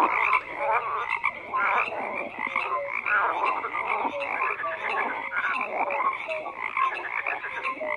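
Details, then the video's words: A chorus of many frogs croaking together: a steady wash of raspy, rattling calls sprinkled with brief whistle-like notes, keeping an even loudness throughout. "FROGS CROAKING"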